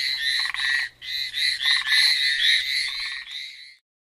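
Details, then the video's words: Loud frog chorus recorded on Amami Island, fast grating high pulses and intermittent lower buzzy bursts, the sound cutting off abruptly shortly before the end, leaving silence. "Frog call at Amami."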